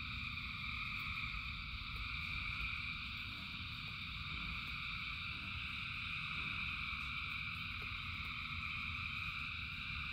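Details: Frogs calling by the thousands during rain, their voices merging into a steady, shimmering high drone with no gaps, while rain hisses and rumbles underneath and faint scattered patters come through.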